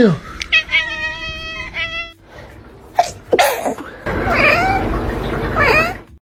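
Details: Pet cat reacting to sneezing: a steady harmonic meow early, then sharp noisy bursts like sneezes and overlapping rising-falling cat cries with voices.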